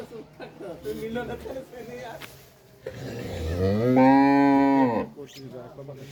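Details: Pregnant Red Friesian cow for sale in Pabna district, nine months in calf, gives a sustained moo that swells from a low rumble into a strong, even tone of about two seconds. Scattered speech and handling noises come before and after.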